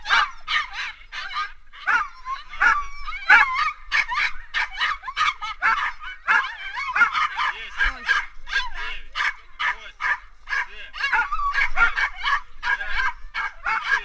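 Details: Yakutian Laika at a 2019 dryland bikejoring race at Staraya Krepost, on a 3.9 km course: rapid, steady stream of shrill yelps and whining barks, roughly one and a half per second, with people talking nearby.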